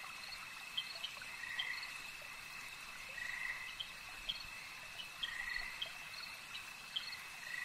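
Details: Frogs at a lake croak in drawn-out buzzy bursts every couple of seconds, mixed with sharp ticks and a steady high hum.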